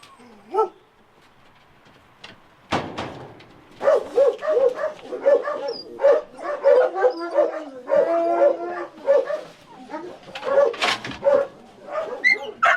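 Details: Crying dog with a collar embedded in its neck during its rescue: a rapid run of high whimpers, yelps and whines with wavering pitch, almost continuous for several seconds, with a faint human voice in the background.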